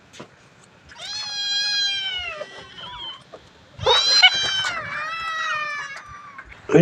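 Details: Domestic cat resting in the afternoon at Wat Pong Chai, Chae Hom, Lampang, gives two long drawn-out meows: the first high and gently falling, the second louder and wavering. A soft human voice can be heard faintly behind.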